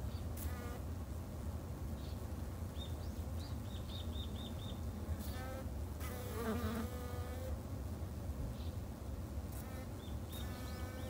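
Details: Garden-kept Japanese honey bees in Japan give a steady, deep humming drone, joined by brief high bird chirps in short runs and a few louder rustling noises midway.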